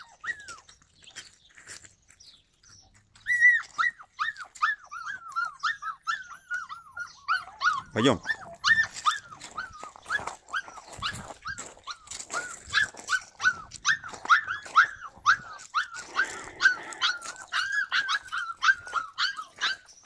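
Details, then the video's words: Yakutian Laika, July 2020: after a quiet start, rapid high yelping barks begin and continue densely, with a sharp knock or thud partway through and some background noise. "Yakutian laika"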